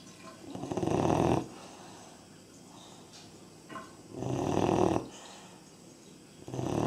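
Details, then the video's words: Labrador Retriever puppy, three and a half months old, snoring: broad, rasping breaths swelling and fading in long bursts roughly every three seconds, with quiet pauses between them. "Как храпит щенок"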